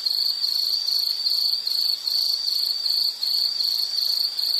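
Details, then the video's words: Insect calling in a calming nature soundscape, a high-pitched trilled chirp pulsing in quick regular bursts about three per second, steady throughout with a soft hiss beneath. "Nature Sound of nature sounds scenery L · insect"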